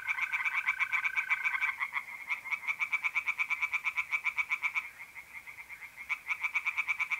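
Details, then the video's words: Night chorus of tree frogs in a pond in north-east Italy, mid April: fast trains of sharp pulsed croaks repeating roughly three per second, briefly pausing, while a mole cricket's steady trill sounds at the start. "relaxing singing tree frogs in pond and trilling mole crickets by night"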